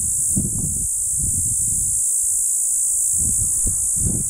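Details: Cicada Hadoa inaudita calling in a juniper tree along county road B28 near Bernal, New Mexico, afternoon of June 30, 2012; a sustained high-pitched hiss-like buzz without pause, low muffled wind bumps underneath.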